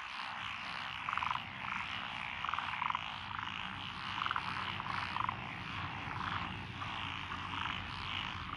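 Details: Frogs in lotus paddy fields in Echizen, Fukui, Japan, recorded 12 June 2021: paired rasping croaks repeated every second or so above a busy chorus, with a low continuous rumble underneath.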